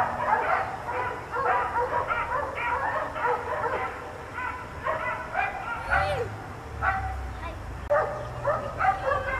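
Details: Several dogs, four kept outside all day by neighbours, barking in a rapid overlapping chorus of sharp repeated barks, some higher yips mixed in, with a short whine near the middle.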